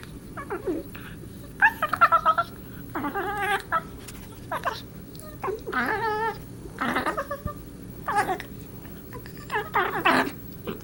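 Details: Playing indoors with Marvin, the cat Darla voices weird alien noises: repeated brief trilling chirps and wobbling, bent cries in separate bursts roughly every second or two, with quiet pauses between.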